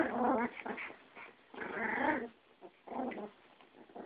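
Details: Snarling scuffle between a Yorkie and a Pomeranian: raspy growls come in three main surges with choppy, broken grumbling between them.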